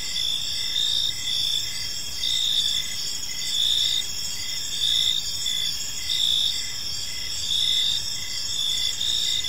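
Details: Several crickets chirp in a park as evening falls, high trills overlapping with steady pulsed chirps, the chorus swelling in regular waves roughly every one and a half seconds.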